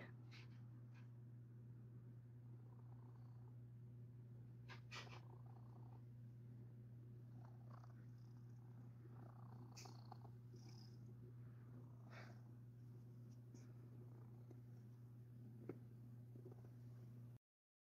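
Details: House cat purring contentedly during belly rubs on its fluffy stomach. The even, deep purr holds steady throughout, broken only by light scratching and rustling sounds.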